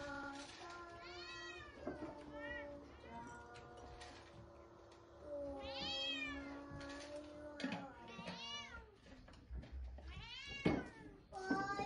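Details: Indoor quarrel between pet cats Chacha's dad and Chabo in Japan; sustained low growling yowls broken by sharp, rising-falling hisses and spits about every two seconds, with scuffling and faint human voices.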